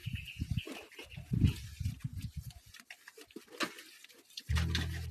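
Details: Domestic pigs kept on a Philippine backyard hog farm, roaming freely outside their pen in good weather. Low, rough grunts come in quick uneven bursts. A steady low musical drone enters near the end.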